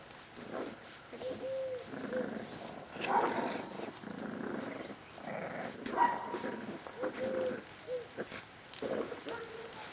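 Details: A 38-day-old Staffordshire Bull Terrier litter (litter K, Staff Komas kennel, 20 September 2010) whimpering; short rising-and-falling whines come in irregular runs across the clip, with rustling movement between cries.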